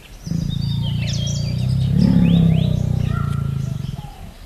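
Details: Deep, buzzing, fast-pulsed groan of a Bengal tiger yawning in the forest. It swells to a peak midway and lasts about four seconds, while scattered whistled bird calls sound faintly in the background.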